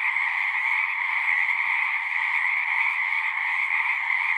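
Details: Frogs singing together at a pond in a horse pasture, captured on a Zoom 6 recorder: a dense, unbroken chorus of high trilling voices blending into a steady shimmering drone, with no pauses and no other sounds.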